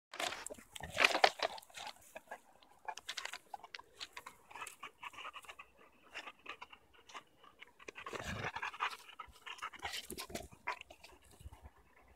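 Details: Cane Corso dog panting in rapid, breathy bursts with uneven loudness, plus some crunching and rustling sounds in a small indoor room.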